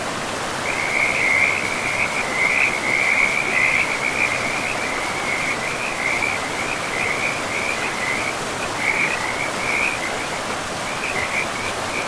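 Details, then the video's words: Frogs calling beside a forest river among moss-covered land. High, rattling trills run almost without pause, loudest early on, then break into shorter bursts, over a constant hiss of flowing water. "River and Frogs sleep sounds"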